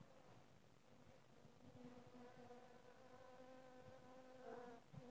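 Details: Western honey bees (Apis mellifera) in flight: wings hum in a steady, low, droning buzz that swells as a bee passes close.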